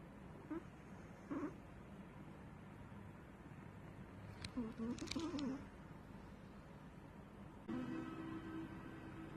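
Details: Snoring of a sleeping Chihuahua: brief whistled breaths early on, a burst of wavering squeaky tones with soft rustling clicks midway, then a longer steady whistling snore near the end.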